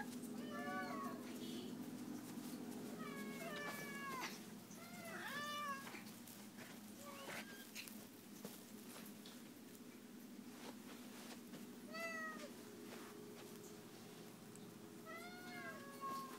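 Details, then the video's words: Several meows from domestic cats waiting at feeding time inside, short arched harmonic calls in bursts every one to three seconds, some overlapping, with a constant low machine hum and occasional clicks behind. "The Cats Meow"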